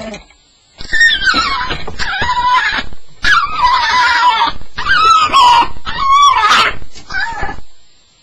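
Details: Staffordshire Bull Terrier on its first night, indoors in a small room: long, wavering, high whining cries sliding up and down, in four or five drawn-out bursts with short breaks between them.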